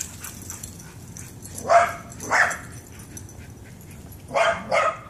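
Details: Playful backyard chase between a Shiba Inu and a Pit Bull, both very excited to see each other again; two pairs of short, harsh barks, the first pair early and the second near the end, with quiet between.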